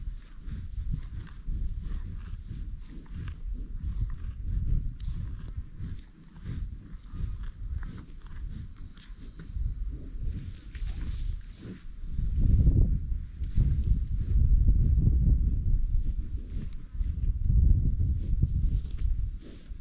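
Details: American bison on a buffalo ranch, deep low rumbling grunts rising and falling in swelling bursts, loudest through the second half, over steady trampling of hooves on the ground.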